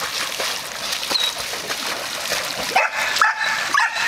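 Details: Dog scared to be alone in a pool, giving a few short high whimpering yelps in the final second and a half, set against loud continuous splashing water.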